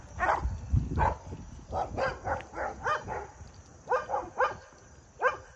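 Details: German Shepherd during off-leash K9 training barking repeatedly: about a dozen short, sharp barks over five seconds, some in quick pairs, with thumping handling noise.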